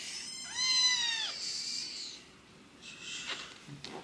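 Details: A high kitten mew from a rescued sister-and-brother pair in foster care during toilet training: one sharp, arched cry lasting under a second, followed by quiet rustling and scratching.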